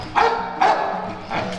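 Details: Domestic dog gives short, sharp barks a moment apart, eager to go out; owner notes females are in heat nearby, and earlier barking came in the early hours.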